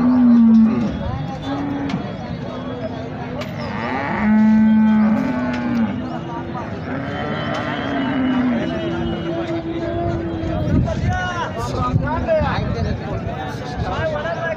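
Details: Holstein Friesian cows at the Sangola cattle market in India: several long, low, steady moos, some overlapping, rise above a busy background of people talking and market bustle.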